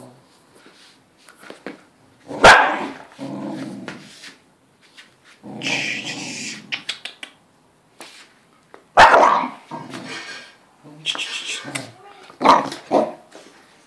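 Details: English Cocker Spaniel female in a bad mood, protecting her food: sharp barks near two and a half, nine and twelve and a half seconds, with rough growly stretches between and a person talking.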